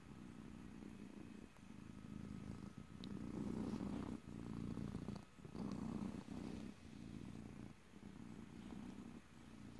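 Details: Domestic cat purring close to the microphone, recorded in stereo with no talking; a low rumbling purr rising and falling in long breaths of about a second each, broken by short pauses between inhale and exhale.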